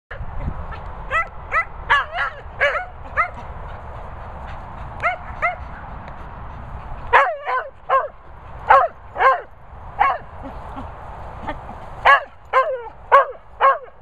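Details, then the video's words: Vocal Cocker Spaniels bark repeatedly, sharp yappy barks with a rising-falling tone, in irregular bursts, quicker and louder in the second half, with a low rumbling background early on. "Vocal Cockers"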